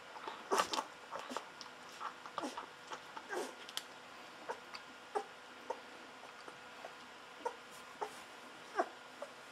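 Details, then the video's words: Bottle-feeding Golden Retriever puppies, fourteen days old and hungry, make soft repeated squeaks and little whimpers, mostly quiet and scattered, over steady clicking from sucking milk. "Hungry Babies drinking wildly Milk"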